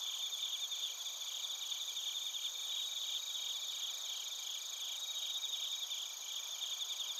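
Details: Bell crickets and other crickets chirping in Narita, Chiba Prefecture, Japan, recorded on a TASCAM Portacapture X8: a dense, steady high-pitched chorus of overlapping pulsed trills and ringing tones from many insects, with no other sounds.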